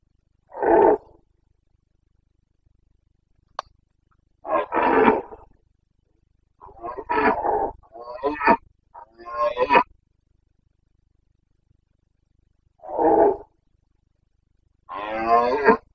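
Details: Wild Carpathian red deer stag in Bucovina's mountain forests, Romania, during the autumn rut of 2022: a series of gruff, irregular roars, some short and coughing, some drawn out and raspy, separated by silent gaps.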